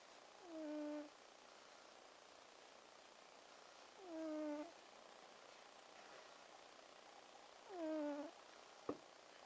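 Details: A sleeping cat snores with three drawn-out, whistling, slightly falling nasal tones about four seconds apart, quiet breathing in between and a single soft click near the end.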